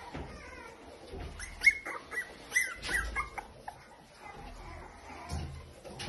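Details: Two 8-week-old Toy Poodle puppies, high squeaky whimpers and short yelps clustered between about one and three seconds, then quieter whines, with soft handling and rustling noises throughout.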